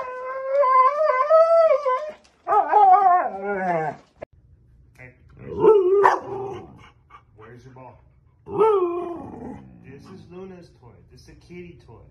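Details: Pet Siberian Husky 'talking' at home: long, sliding, wavering howls and groaning whines in several bursts separated by pauses, with a low hum and a person's voice in the background.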